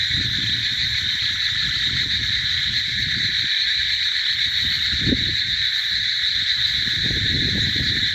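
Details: A massive frog chorus sustains a dense, even, high trilling hum, while irregular low rumbling thuds and bursts, like wind or handling noise, come and go beneath it.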